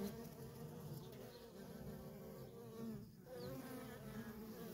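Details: Worker honey bees at a feral colony keep up a constant low buzz; one bee passing close adds a brief rising whine near the end.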